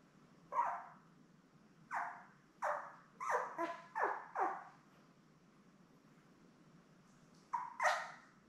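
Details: Newborn Labrador Retriever puppies, a litter of seven born May 24, 2021, with their mother Belle on a live puppy cam; short high squeaky yelps and whines come in scattered bursts, a cluster in the middle, then quiet, then two more cries.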